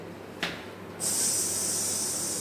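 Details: An Indian cobra that has got inside a house gives a steady, breathy hiss. It starts just after a sharp click and runs without a break for about one and a half seconds, bright and airy.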